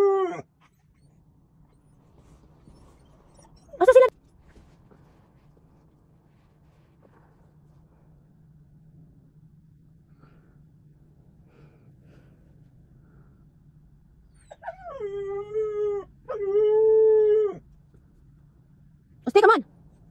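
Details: Talking Siberian Husky: short falling whines at the start and around four seconds, then a long, drawn-out moaning, howl-like vocalisation in two steady parts, ending with a quick yelp. A low steady hum runs underneath.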